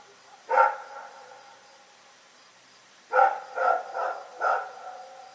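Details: Rex the dog barks at night, one sharp bark followed after a pause of over two seconds by a run of four quick, evenly spaced barks.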